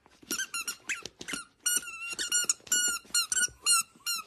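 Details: Corgi indoors giving a rapid run of high, squeaky whines, each short and thin with a slight bend in pitch, about a dozen packed into four seconds with brief gaps between them.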